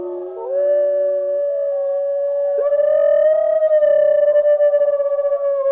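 A wolf gives one long, sustained howl that rises quickly, then holds a steady pitch with slight wavering for several seconds.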